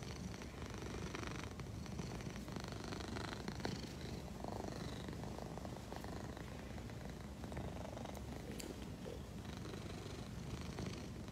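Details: Purring from Leo, an Egyptian Mau kept as a pet: a dense, low, even rumble that continues without pause, with scattered soft clicks and rustling over it.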